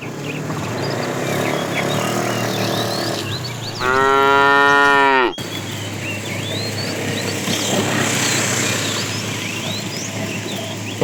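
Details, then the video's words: A tame cow roaming the road in search of food gives one drawn-out, even moo of about a second and a half, with birds chirping and twittering throughout the outdoor background. "Funny cow sounds"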